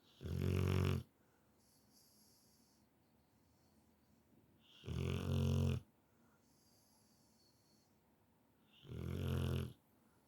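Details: Deeply sleeping Rottweiler snoring noisily indoors, three harsh, low, rasping snores roughly every four seconds, each about a second long, separated by near silence with faint breathing.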